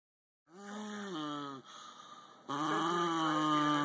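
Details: A Cairn Terrier growls while being touched: a drawn-out, moaning growl in two voiced bursts, the second rising then sagging.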